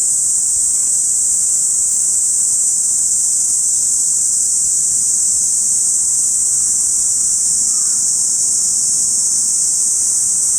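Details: Binaural August recording of a cicada chorus in a Saitama City park: steady, piercing high-pitched buzz filling the whole span, with only a faint brief chirp in the background.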